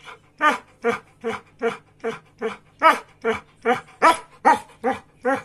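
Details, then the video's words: Samoyed that asks for breakfast each morning, barking in an even series of about a dozen short, rough, growly woofs, slightly more than two per second, indoors. "My breakfast!!!"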